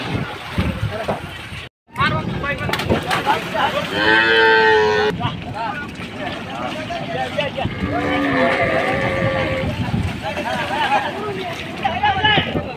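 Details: Big cattle being unloaded for Qurbani Eid in Bangladesh; one loud, drawn-out harmonic moo rises then holds, followed later by a lower, shorter bellow, amid crowd voices, shouting and vehicle rumble.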